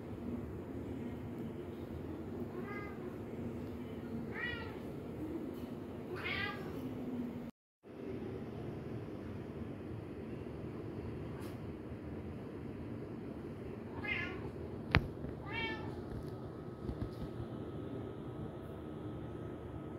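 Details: Kitten at play among balloons, three quick rising-falling mews early on, then two more after a quiet stretch, with one sharp click between them and a constant low background hum.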